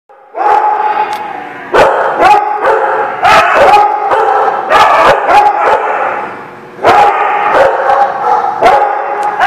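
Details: Dogs at a dog-boarding lot on 30 March 2019, barking in long bursts of loud, harmonic, overlapping barks with sharp yips, a short pause near six seconds, then barking again.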